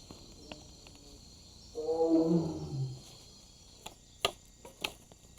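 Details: At night in the Indonesian jungle, a wild Sumatran tiger gives a deep, rolling roar lasting about a second, announcing its presence to other tigers, possibly linked to the mating season.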